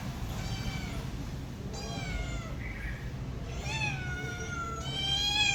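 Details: Pet cat producing three or four drawn-out, wailing meows with rich overtones, each gliding downward, over a low continuous hum.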